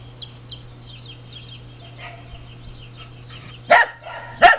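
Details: Smooth Fox Terrier barking at ducks after chasing them off the property into the water: soft duck quacks and chatter first, then two sharp, loud barks less than a second apart, over a steady low hum.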